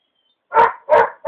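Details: Belgian Malinois at the end of a short three-minute bite-training session, eager to keep working: three loud, rough barks in quick succession after a brief silence.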